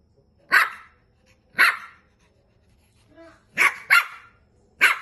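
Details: Toy poodle barking: sharp, high, clipped barks given singly about once a second, with one quick double bark near the end and a faint short sound between them.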